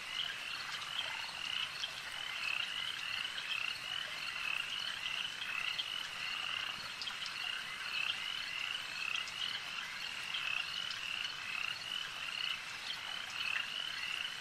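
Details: Massed frogs at a lake keep up a constant high, buzzy croaking, individual pulses rippling together into a dense, even chorus.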